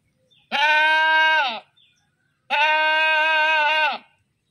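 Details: Two long, loud, screaming goat bleats, each over a second, steady and nasal with a slight waver, separated by a short pause; background otherwise quiet.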